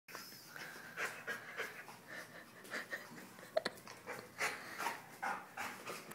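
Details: A playful dog pants during play. Quick, breathy huffs come about twice a second and swell and fade in strength, with a couple of faint clicks.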